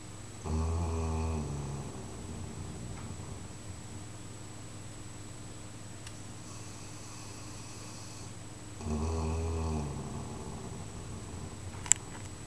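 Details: Chocolate Labrador George snores in his basket at home, worn out after an Easter 2012 camping weekend at Graffham; two long, deep, rasping snores about eight seconds apart, with quiet room hum between them.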